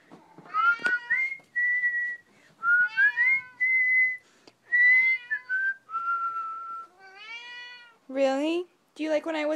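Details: Mitz, a male Maine Coon, meows insistently while following a person whistling indoors; whistled notes mingle with long harmonic meows, closing in harsher, louder cries, with brief human speech.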